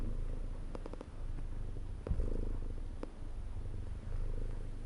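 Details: Domestic cat purring steadily, a deep low rumble rising and falling with each breath, broken by a few faint clicks and a brief soft thump near the middle.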